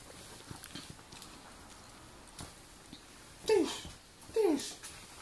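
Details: Seven-month-old Dobermann being super silly indoors: two short, loud, falling whine-yelps about a second apart, preceded by faint scuffling and low background noise.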